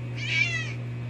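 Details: Hairless cat meowing indoors around bath time: one short, clear, slightly rising then falling meow, with a steady low hum underneath and a person's voice talking to the cat just before and after.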